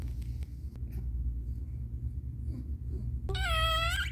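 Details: Pet cat Caramel giving birth inside a small room lets out a bright, strained meow with many harmonics, sliding upward and wavering near the close, after soft rustling and clicks over a continuous low hum.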